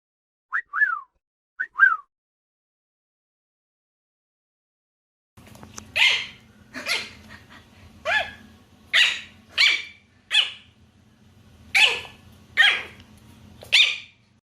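A dog gives a few high, falling yips, then a run of sharp, harsh barks about once a second.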